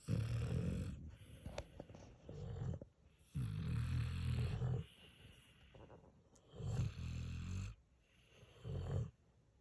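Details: Sleeping dogs, a Pit Bull puppy and a senior Mastiff/Pit mix, snoring: rumbling low breaths in bursts of one to two seconds, separated by quieter pauses, about five snores in a row.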